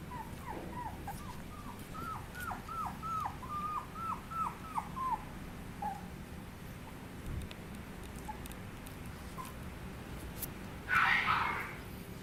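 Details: Chihuahua puppy giving a rapid run of high, thin whimpering yips, about ten short rising-falling notes in quick succession, then quiet with a brief scraping rustle near the end.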